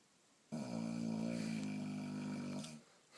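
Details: Boxer dog snoring: a single sustained, buzzy snore of a little over two seconds, with a steady low rattling tone that wavers slightly midway, then cuts off into near silence.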